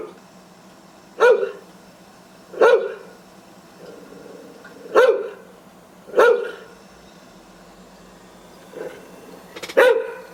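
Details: Guard dog barking to scare away intruders: six loud single barks, one about every one and a half seconds, with a quieter bark near the end, each short and harsh over a steady low hum.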